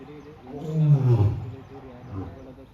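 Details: Captive lion roaring in its enclosure at Siddharth Garden and Zoo, 27 March 2026; a deep, throaty roar rising then falling, followed by a softer grunting roar near the end, with a man speaking briefly.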